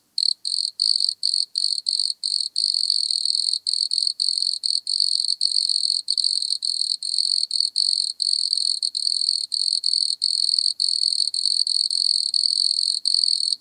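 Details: Singing wood cricket (Nemobius sylvestris), Altenberg, Austria, 9 August 2022: begins with rapid separate pulses, then settles into a long, steady high trill with small regular breaks, clean and noise-free.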